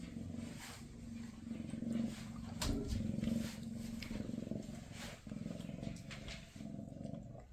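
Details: Maine Coon mother Freya with her kittens on their last day together before they move to new homes; a steady, pulsing low purr rises and falls with each breath, continuous throughout.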